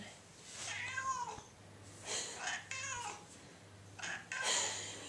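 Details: Hungry indoor cat giving several drawn-out, wavering meows separated by pauses of about a second, over a steady low hum and faint room sounds.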